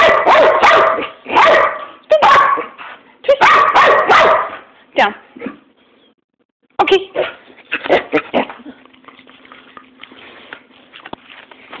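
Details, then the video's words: Dog barking in quick loud runs for about five seconds, then a pause and a further string of barks fading into quieter, scattered sounds with a low steady hum. "Bark Bark Bark"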